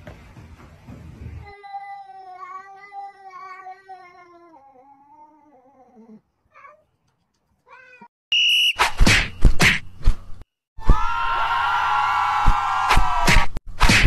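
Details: Pet cat with a long, wavering meow that slowly sinks in pitch over several seconds, followed by brief chirps, then loud clattering and a harsh, noisy stretch.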